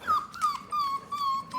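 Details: Indoors, a four-week-old puppy cries to be held, a single sustained high whine that holds level with slight wavers and brief breaks, clear and close.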